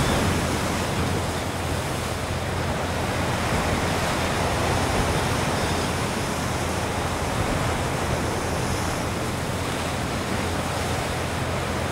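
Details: Steady roar of wind and surf fills the whole recording, with no animal calls standing out.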